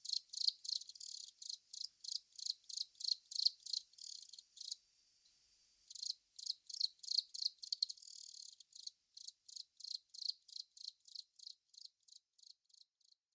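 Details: Long-mouthed cricket, Velarifictous aspersus, giving rhythmic high-pitched buzzy chirps about three per second, broken by a pause of roughly a second midway before the chirping resumes.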